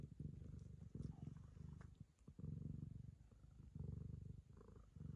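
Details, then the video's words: A Ragamuffin cat licking the owner's daughter as a token of friendship, its deep purr rising and falling in rhythmic breath cycles roughly every second, with faint lapping clicks. "友愛の証として娘を舐め回す猫 ラガマフィン"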